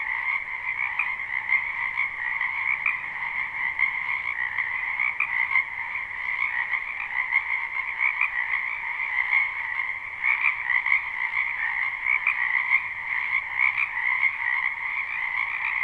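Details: Spring wetland frog chorus, live recording with no looping: countless croaking voices merge into a loud, unbroken pulsing trill on two pitch layers, with small swells of intensity throughout.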